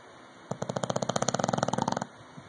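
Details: Loud snore from English bulldog Rocky: one rattling inhalation of quick, regular throbbing pulses lasting about one and a half seconds, then quiet background hum.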